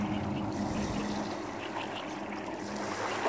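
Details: Continuous wash of waves and trickling water at the shore, steady and even throughout.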